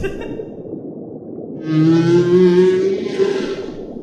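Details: Humpback whale sounds recorded at its breeding grounds: after a quiet start, a long low moan slides slowly upward and holds, layered with a higher rich harmonic wail, while a soft musical backing runs underneath.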